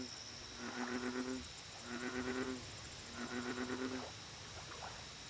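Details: American bullfrog at a lake: three low, resonant harmonic notes, each about two-thirds of a second, spaced roughly a second apart. Rapid high insect ticking and a steady high hum run underneath.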